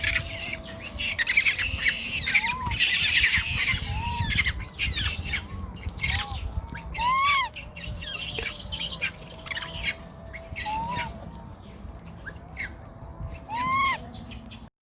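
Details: Baby monkey, lost from its mother and with its brother, crying loudly to find her: short arched whimpering cries that rise and fall, repeated irregularly, over steady crackling and clicking noise and faint rustling.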